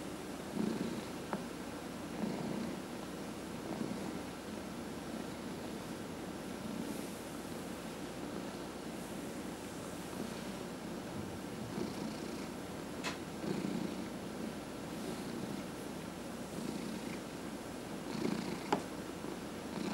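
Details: Purring house cat receiving a massage, one of four cats kept at home; continuous low rumble rising and falling gently with each breath, plus a few faint clicks and rustles from handling.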